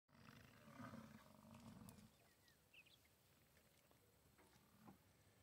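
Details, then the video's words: American bison bellowing during the rut at the National Bison Range in Moose, Montana; one deep, drawn-out roar lasting about two seconds, then quieter outdoor background with faint distant sounds. "Bison Rut"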